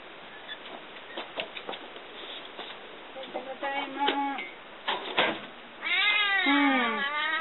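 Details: Cat back from a stretch home alone gives a few short meows, then one long, rising-and-falling plaintive meow near the end, with people talking and some soft background rustling indoors.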